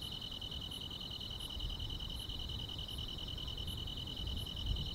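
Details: Grass insects sing on a summer night: an even, unbroken high trill runs throughout, and a separate piercing chirp repeats roughly every 0.7 seconds above it, with faint low rumbling beneath.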